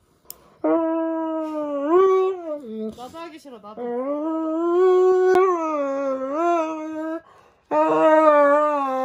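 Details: Dobermann howling dramatically while having its nails clipped indoors; long, drawn-out tonal howls that rise and waver, broken by brief pauses, with a short gap before a final wail.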